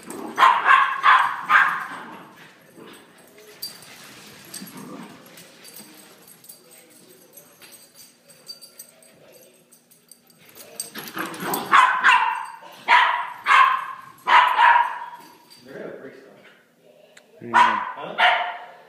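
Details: Playing puppies let out clusters of shrill yips and short barks, several rapid calls in a row near the start and again toward the end, with scuffling noise and softer sounds in the quieter middle stretch.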